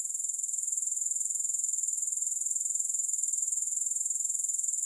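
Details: Grasshoppers in a long relaxation recording without music: a steady, very high-pitched shimmering trill, pulsing about three or four times a second, with no other sounds.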